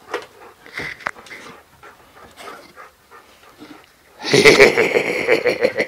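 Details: Dog, one of three out on a walk, one of them big: soft scattered sounds for about four seconds, then loud rapid panting with a whining tonal edge, roughly three breaths a second, over a quiet background.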